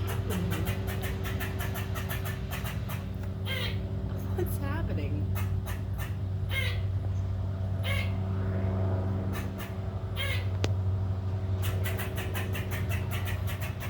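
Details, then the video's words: Squirrel harassing a cat: rapid dry clicking chatter repeated about four times a second in runs, with a few short rising squeaky notes between. Steady low hum and background talk. "Squirrel Making Noises Harassing My Unbothered Cat"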